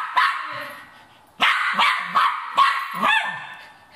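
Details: Cairn Terrier after a rat, giving a single bark, a pause, then a tight series of loud, strained barks with a slight whine rising on the last.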